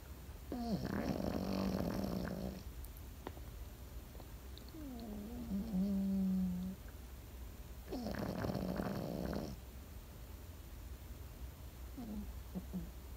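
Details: Sleeping Pekingese dog snoring indoors: rough, buzzy snores with a wavering low tone, two long snores about six seconds apart with a softer whistling breath between, and a faint short snort near the end.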